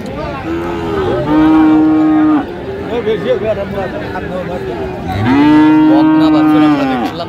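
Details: Two long, steady moos about a second and a half each from Friesian and crossbred heifer calves at Raniganj market in Dinajpur, 29 January 2025, with people chattering between the calls.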